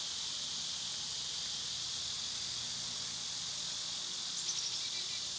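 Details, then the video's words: Summer cicada chorus, an intense, steady high-pitched buzz without breaks, with a few faint thin chirps from another creature near the end. "Birds & Squirrels w/ Cicada sounds"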